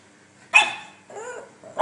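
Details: Pug from a funny pug compilation giving one sharp, loud bark, then a short whiny yelp that rises and falls, and the start of another brief yelp at the end, in an otherwise quiet indoor setting.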